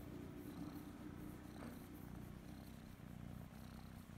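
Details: Kitten Kryska, a young female that loves being petted and scratched behind the ear, purrs loudly and continuously in a quiet room, a deep even rumble without pauses.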